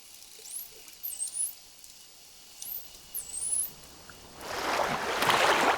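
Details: Bottlenose dolphin mother calling her calf back with a sequence of sounds that opens with her own signature whistle, which identifies the caller when unseen, like a name. Several short, high, rising whistles come in quick succession, followed by a loud rushing splash of water.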